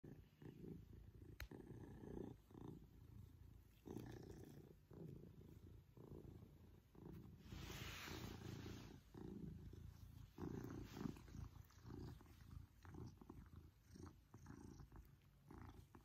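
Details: Pippin, a male Maine Coon cat, purring while cuddling affectionately with his family, purrs growing louder as he enjoys attention; a steady low rumble with soft rustling and handling noises throughout.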